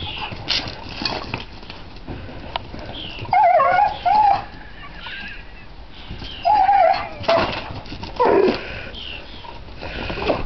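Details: Excited female dog whining as she charges after a newly arrived dog during play chase in a garden on his first day; high, wavering whines come in short bursts near four, seven and eight seconds over rustling and footfall noise.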